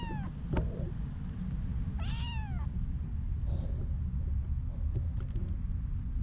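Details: Homeless street cat in Ras Al Khaimah, UAE, giving one clear meow near the two-second mark that rises and then falls, with fainter short mews before and after, over a steady low rumble of background noise.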